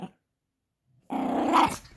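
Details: Playful Yorkshire Terrier puppy tugging at a monkey dog toy; after nearly a second of silence a rough low growl starts abruptly, swells, then fades with a slight upward squeal at its peak.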